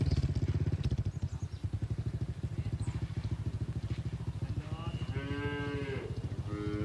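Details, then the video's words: Cattle in a grazing herd on a green field give a long, drawn-out moo near the end, rising then falling. A steady, rapidly pulsing engine throb like an idling motorcycle fills the first seconds and continues beneath the call. "Suara Sapi Moo"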